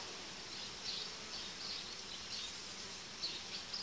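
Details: Hive of honey bees whose colonies are being merged, as the uniting diaphragms come out roughly five days later: an even, continuous whirring drone with soft pulses of louder buzzing every second or so.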